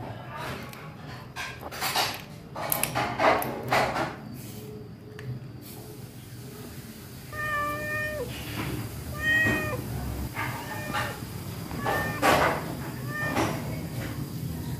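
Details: Pregnant, hungry stray cat taking fish in a kitchen; after clattering knocks, a run of clear harmonic meows, several long and level with a falling end, others short, repeated over about eight seconds against low indoor hum.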